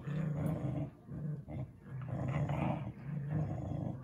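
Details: Play growling from a pet dog wrestling with another dog inside, a deep, nearly continuous rumble that swells and dips, with only short breaks over a few seconds.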